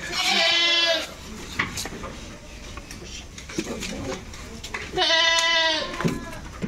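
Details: Goats being shipped from a farm: two loud, drawn-out, wavering bleats about a second long, one at the start and one near the end, with quieter murmuring and handling noises between.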